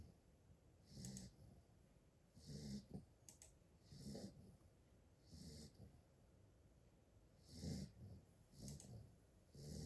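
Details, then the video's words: An 8-week-old Golden Retriever puppy snores softly, a low wheezy rumble with each breath. "8-Week Snoring Puppy [Original Sound]"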